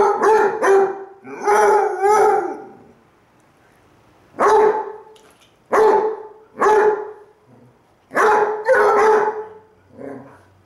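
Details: Cooper and Jahko, two Basset Hounds, howling back at each other with Cooper lying on his side; short loud baying yelps in clusters, separated by quiet gaps of one to two seconds, ending in a fainter bay.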